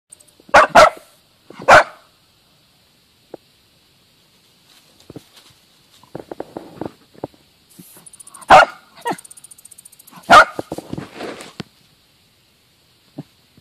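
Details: A team of Dachshunds hunting and killing a mole give sharp, loud barks, singly and in quick pairs, with quiet scratching and rustling between.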